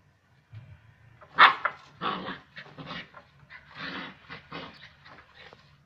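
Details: Rough Collie puppy attacking a broom indoors, giving a series of short, rough growling barks and huffs in uneven bursts, with one louder sharp yelp near the start and soft scuffling between sounds.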